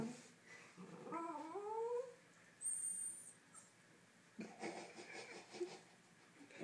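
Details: A 4-month-old miniature Schnauzer puppy, indoors, discovering a new puppy, gives a thin whining whimper that slides downward twice near the start. Soft rustling and a brief high tone follow, with quiet room noise throughout.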